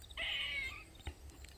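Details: Squirrel in a Maryland backyard, crying loudly for over 45 minutes: one harsh, buzzy, nasal cry lasting about half a second, then a soft click and quiet background.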